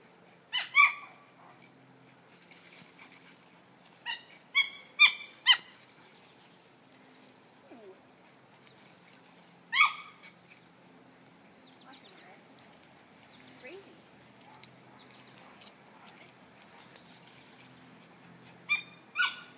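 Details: Italian Greyhound, a sight hound, excitedly chasing a toy pulled on a line, giving high-pitched, harmonic yelps in short clustered bursts of two or three, separated by quieter pauses with faint rustling and footfalls.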